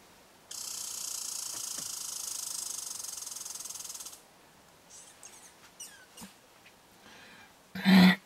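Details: American red squirrel at a bird hide in eastern Canada, among squirrels interacting there; a dense, buzzy rattle of rapid pulses lasts about four seconds, then faint scratches and a sharp loud knock near the end.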